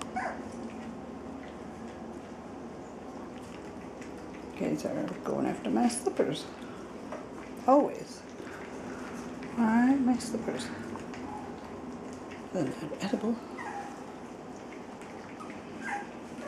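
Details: Cavalier King Charles Spaniel puppies almost six weeks old, a litter of five males and one female born on 15 November 2012, give short high whining whimpers in separate bursts near 5, 8, 10 and 13 seconds, with quiet human speech in the background.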